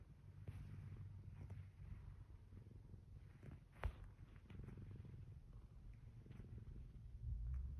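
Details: Domestic cat Zeke kneading a blanket in bed one morning after the alarm went off, giving a continuous deep, pulsing purr, with a soft click midway and light rustling of bedding.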